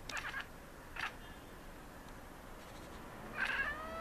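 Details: Maine Coon cats, one main vocalist joined by others, chatter at city birds in short, clipped bursts, a quick stuttering sound repeated with pauses between.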